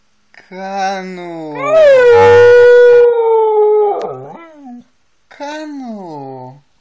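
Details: Siberian Husky howling: a short rising onset, then a long steady mid-pitched howl held for about two seconds that wavers and breaks off, followed after a pause by a shorter howl that rises and falls.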